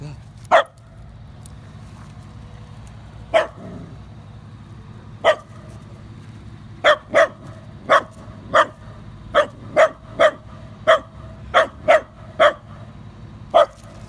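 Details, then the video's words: A Dachshund and a Great Dane barking: short sharp barks, sparse at first, then a steady run of about one bark every half second, over a low background hum. "Такса vs. Дог"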